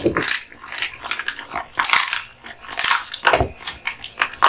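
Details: A male American Bully, Kotetsu, eating duck spine jerky, giving brittle crunching and cracking bites with some softer wet chewing between, spaced unevenly over a few seconds in a quiet room.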